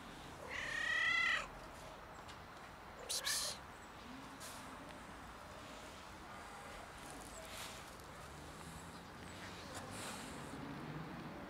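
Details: Cat struggling outdoors in freezing winter cold, needing warmth and food, gives one drawn-out harmonic meow near the start, then faint scattered rustling and background noise for the rest.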